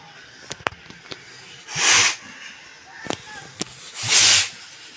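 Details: A senior bull from Narasapuram village snorts twice, each a forceful, breathy hiss of air about half a second long: bull (Bos taurus), snort.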